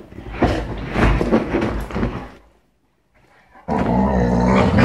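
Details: Dogs on a sofa growl and snarl in a rough, low, rumbling stream. After a brief silent pause, a louder sustained growling burst follows.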